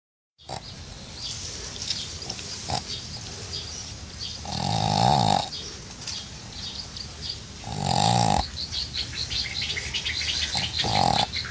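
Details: Pug sleeping in a bucket of water, snoring and farting: rough, rumbling snorts swell into loud harmonic bursts about every three seconds, with softer wheezy breathing and splashy hiss between them.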